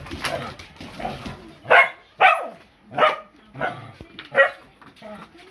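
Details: Rough Collies in a playful tussle on 8 May 2020, young Ta-chan joining sisters Miko and Nanacha's play fight while being ignored; about six short, rasping harmonic yips and grumbles come in quick bursts roughly every half second.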